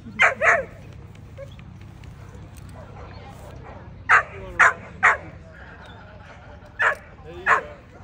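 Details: Female American Pit Bull Terrier, 12 to 18 months old, at the 2024 ADBA Tristate conformation dog show; sharp barks come in pairs and short bursts over crowd murmur.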